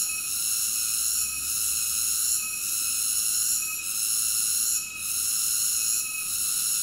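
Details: Cicada droning in a dense, high-pitched whine, with a few short drops in loudness over seven seconds and no other distinct sounds.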